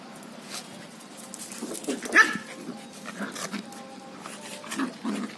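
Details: A female Lhasa Apso playing with a spaniel cocker puppy gives short, sharp barks and yips in quick bursts, with a person's voice in between.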